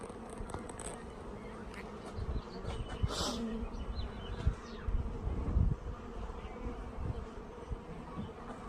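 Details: Honey bees flying around a bee yard while a package of bees is installed; a steady low hum with wavering drones near 200 to 500, broken by handling knocks and thumps.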